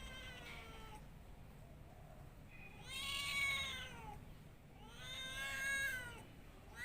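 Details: Domestic cat meowing twice in a quiet room, each call long and wavering, rising then falling, about two seconds apart after a faint opening cry.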